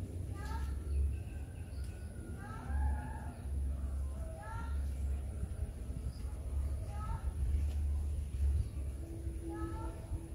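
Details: Friendly calico crossbreed cat with two older siblings, the cats playing together: short arched, harmonic meows come in about five separate bursts over ten seconds, some doubled, above a steady low hum and rumbling background.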